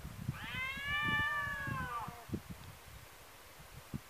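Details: Cats in a fight, the neighbour's cat having run into a second enemy. One long, steady, strained howl with a slight rise, ending in a downward slide, over dull thuds and shuffling.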